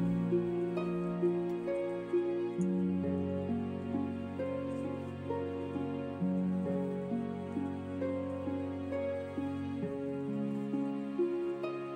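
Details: Gentle, tender instrumental music with soft sustained piano-like notes and a slow melody; no animal voice heard.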